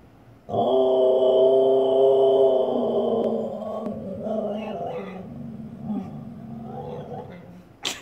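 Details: Siberian Husky female vocalizing at her reflection in a fireplace indoors: a loud, long, harmonic howl-like bark held for about three seconds, then softer grumbling, warbling sounds trailing off, with a brief sharp noise at the end.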